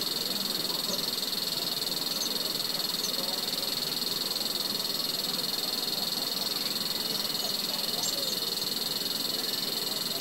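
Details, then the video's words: Intense shrill droning of a cicada in Himachal Pradesh, India, a sustained high buzz with a rapid regular throb that never pauses, with faint chirps in the background. "Cicada insect"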